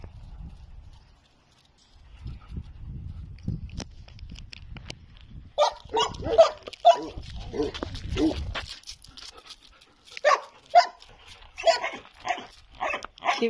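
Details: Dobermann giving a run of short sharp barks, loud bursts spaced under a second apart in the second half, after a quieter stretch of low rumbling noise; people talk in Spanish nearby.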